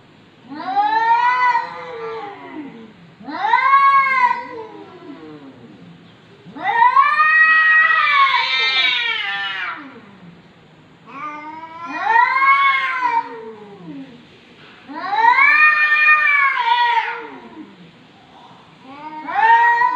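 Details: Chatty domestic cat, 2020: loud, insistent caterwauling meows, each a harmonically rich rising-falling wail, repeated about every two to three seconds, one longer drawn-out yowl in the middle.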